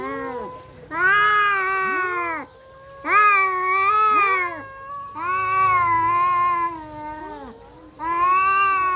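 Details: Domestic cats fighting, trading long drawn-out harmonic yowls that rise and waver, in bursts of about one to two seconds separated by brief pauses, with two voices overlapping at times.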